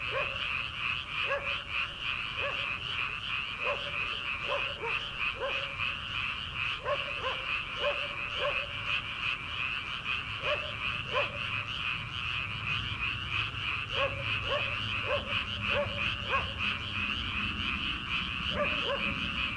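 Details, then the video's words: Frogs calling from rice paddies in early summer before rice planting, Korea, late at night: a dense continuous frog chorus with a steady high trill band, overlaid by short repeated croaks scattered through, plus a faint low hum in the second half. "초 여름 개구리 울음소리/ 논에서 들리는 개구리 소리"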